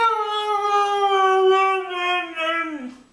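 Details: Mishka, a female pet dog, vocalizing indoors in a drawn-out, singing howl of about three seconds, steady then wavering and dropping at the end, the "I want my Mommy" talking sound.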